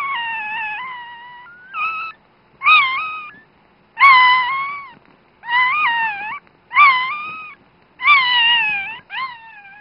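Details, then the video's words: A newborn female Dachshund puppy, her mother's very first pup, gives her first thin, high, wavering squeaks and cries in short bursts; dated 16.01.10. "16.01.10 - newborn baby dachshund noises"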